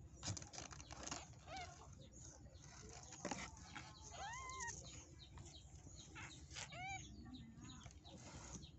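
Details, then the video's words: Newborn kitten, zero days old, crying for its mother's milk: a few short, high, arched mews rising then falling, spaced a couple of seconds apart, over steady low hum and soft rustling. "Anak kucing usia 0hari minta susu emaknya"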